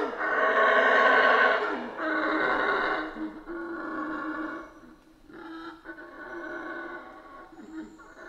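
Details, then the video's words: Deep, raspy roaring from howler monkeys in a Central American rainforest, a strong first burst followed by repeated shorter roars that gradually weaken. "Rainforest Howler Monkeys Sounds"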